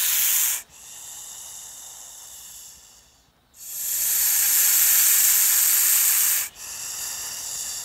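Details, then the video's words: A European viper gives long, breathy hisses, loud bursts of broadband noise lasting a few seconds each, separated by brief pauses. "European viper"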